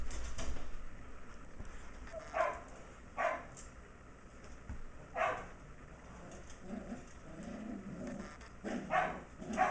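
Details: Indoor play between an almost six-week-old Shetland Sheepdog puppy, MacTavish, and his older companion Sasha, with other puppies in an enclosure nearby. Short, scattered yapping barks come singly and in close pairs over a low indoor rumble.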